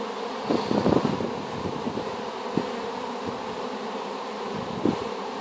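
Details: Honey bee swarm just placed in a hive after being collected from an apple tree, a dense steady hum with bands near 250 and 500, a few brief louder knocks and bumps early on.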